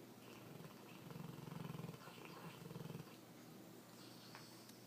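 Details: Dog asleep on a couch, snoring: two low, fluttering, rattly breaths, the first about a second long and the second shorter, over a steady low indoor hum.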